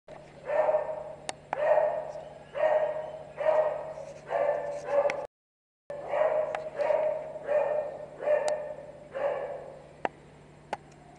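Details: Beagle barking in a steady run of loud, mid-pitched, harmonically rich barks roughly every 0.8 seconds, with a brief silent gap midway and a faint low hum beneath.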